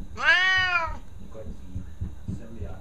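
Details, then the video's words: Loud Siamese cat meow indoors: one strong rising-then-falling harmonic cry under a second long, followed by a person talking softly to the cat. "Posibilly the Loudest Siamese Cat Ever?"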